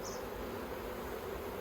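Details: Honey bee colony humming inside the Yellow Hive, an Aussie beehive with plastic frames, on 9 October 2021; an even, low, steady buzz of many bees fills the whole stretch without pause.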